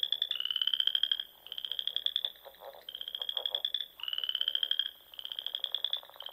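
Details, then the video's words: Dusk frog song in spring at lakes of Nebraska's Sandhills: overlapping high, rising pulsed trills, each around a second, forming a dense repeating chorus. "RELAXING SOUNDS OF FROGS"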